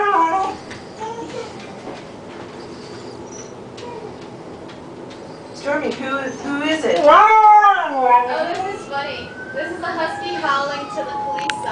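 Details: Siberian Husky named Stormy, a pet dog, howling toward the police: after several seconds of a person talking, wavering harmonic howls rise and fall, followed by long steady drawn-out tones, with speech over the start.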